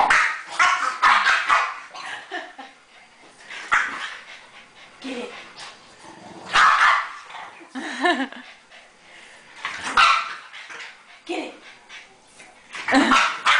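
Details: Two French bulldogs playing with a rope give rough, noisy barks and grunting bursts in irregular clusters, with brief higher yelps between louder outbursts.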